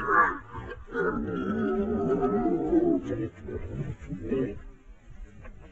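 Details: Wild boars (Sus scrofa) fighting, giving harsh, throaty squeals and grunts in rough, uneven bursts.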